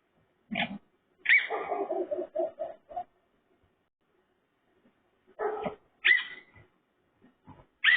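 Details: Raccoon giving piglike noises: a brief nasal squeal, then a high squeal followed by a rapid run of five or six grunting notes, a quiet gap, and further squeals and snorts toward the end.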